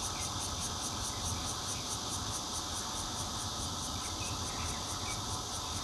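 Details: A constant wall of bear cicada buzzing, recorded on a phone from a fourth-floor flat in Zhongli, Taiwan, in June 2013. High, evenly spaced pulses beat roughly three times each second over the broad hiss.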